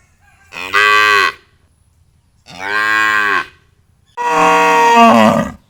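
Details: Three drawn-out moos from a cow, each under a second, evenly spaced; the last one louder and longer, breaking and falling in pitch at its end, over a faint low hum.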